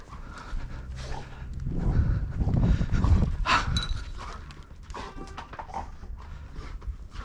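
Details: Golden Retriever; excited panting; greeting its owner coming home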